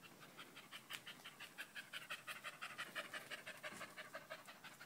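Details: Steady, rhythmic panting from Danco, a dog clinging to a person's leg on 05.08.2013; even, hissing breaths close to three per second, in and out without pause.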